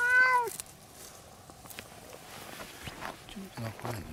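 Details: A cat on Tashirojima, Cat Island, Japan, gives a single short, high, wavering meow at the start, then quiet outdoor background with faint scattered knocks and rustles.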